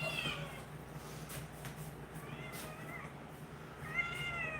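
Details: Female pet cat meowing indoors beside her owner; three short, arched, whining meows, one at the start, one midway and one near the end, over a low steady hum.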